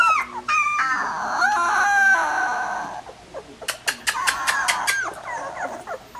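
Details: Young collie puppies, 16 days old, whimper with thin whines over a rushing background. A series of crisp clicks and short squeaks follows.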